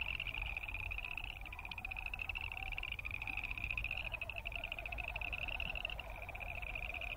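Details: Distant chorus of boreal chorus frogs: a steady high, finely pulsed creaking band throughout, with a lower wavering drone beneath and a low rumbling background noise.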